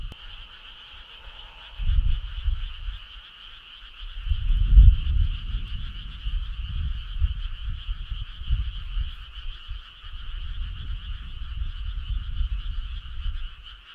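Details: Summer-night frog choir along a country road, heard as a constant layered hum at two pitches, with deep muffled bursts starting around two seconds and pulsing irregularly until the end.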